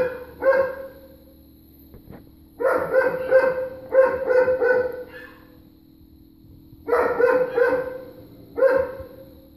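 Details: Neighbors' dogs barking on November 23rd at 3:45 pm, still going: bursts of loud, harsh barks in quick clusters separated by pauses of a few seconds, with a steady low hum underneath.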